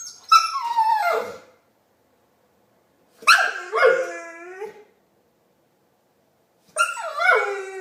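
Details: Pet dog Marley giving chewbacca-style noises: three drawn-out, whining, descending yowls about three seconds apart, each sliding down in pitch, with quiet gaps between.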